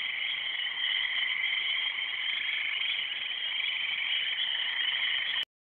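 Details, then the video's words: Many frogs calling together in a steady, high-pitched trilling drone that runs without pause and then cuts off sharply near the end, recorded on an Android phone. "Frogs, Frogs and more Frogs"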